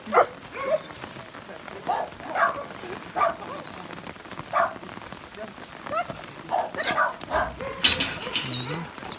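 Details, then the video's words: Rottweiler greeting its owner after four days apart at a dog hotel, crying with excitement; repeated high whines and yelps roughly every second, with a person speaking throughout. "4 GÜN ARADAN SONRA SAHİBİNİ GÖREN ALFA SEVİNÇTEN ÇILDIRDI (ROTTWEİLER ALFA)"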